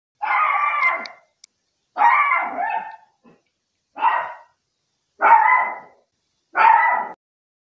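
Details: Maltese dog named Roy on a camping trip at Undmun Dam downstream campground in Cheongdo, Korea, barking five times in about seven seconds, each bark a harsh, rasping burst with clear quiet gaps between.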